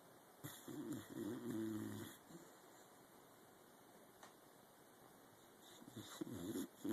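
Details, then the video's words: Helmer, a pet dog, snoring while deeply asleep indoors in a home office one morning; low raspy snore bursts around two seconds long, a quiet gap, then more rattling snores near the end. "Helmer Snoring II"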